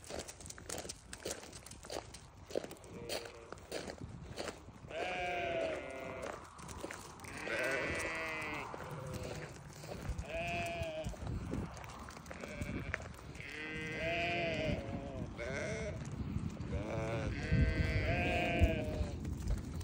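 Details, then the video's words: Newborn lambs bleating over and over from about five seconds on, with shaky, wavering harmonic cries in quick succession, some overlapping, above a rustling, crackling background. "Newborn baby sheep so beautiful"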